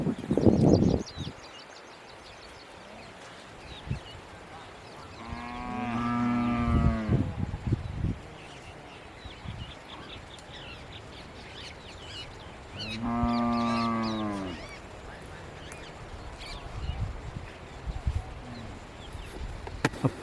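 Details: Hallikar cattle being taken out to graze in a yard in Harrohalli Taluk; two long, low, harmonic moos, each lasting about two seconds and roughly seven seconds apart, with men talking in Kannada before and after.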